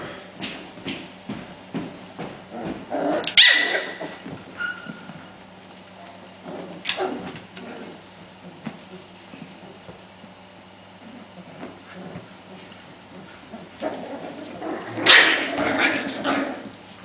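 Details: Five-week-old Welsh Corgi puppies exploring, playing and scuffling give scattered high yips and soft whimpers, with sharper bursts now and then.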